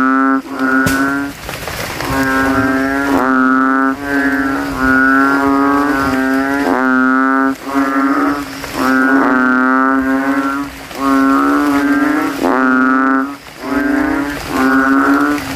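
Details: Several banded bullfrogs (kodok kintel) calling at night after rain in a water puddle at a cemetery, males inflating throats and competing to be loudest; loud, deep, droning harmonic calls about a second long, repeated in close overlapping succession.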